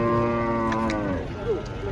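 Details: One huge cow being unloaded from a truck bellows a steady, drawn-out low moo lasting about a second, then it fades into a brief higher rising note amid faint background chatter.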